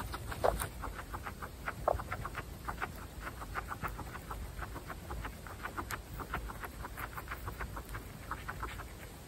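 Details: Female guinea pigs, Butter's family, feeding on fresh grass; rapid, irregular soft chut-like pulses and nibbling clicks, with a couple of louder squeaky notes near the start, against a quiet hiss.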